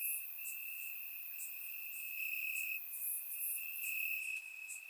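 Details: Crickets chirping in grass on a warm summer night in Bulgaria, recorded with a surround microphone: a steady high trill runs throughout, with brighter, very high pulsed chirps from other crickets breaking in every second or so.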